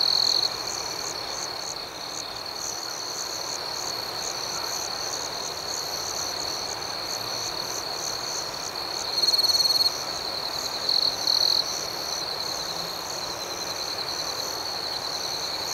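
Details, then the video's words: Crickets at night outdoors, a steady high-pitched ringing chorus of trilled chirps that never pauses, with a faster pulsing layer above it and a few louder, brighter bursts near the middle and end. "Soothing Cricket Sounds"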